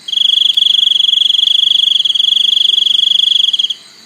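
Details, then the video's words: A single continuous cricket trill, piercing and evenly pulsed at a constant high pitch, lasts about three and a half seconds over a quiet background. "សំឡេងសត្វចង្រិត ។ Crickets sound"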